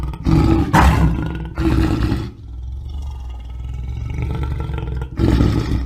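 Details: Lion roaring in deep, rough bursts, two strong grunting roars in quick succession followed by a longer, softer rumbling stretch, then another powerful roar at the end.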